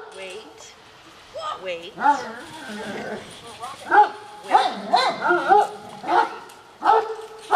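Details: Household dogs eager for an afternoon snack let out a series of high, whiny yips and barks. The calls are clustered between four and seven seconds. A woman keeps telling them to wait and praises them as perfect puppies.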